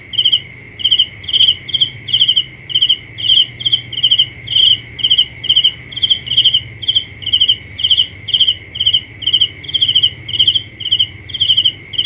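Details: Shrill pulsed chirps of a cricket come in a quick regular series, about two per second, loud and clear above a steady high hum, with soft low rumble beneath.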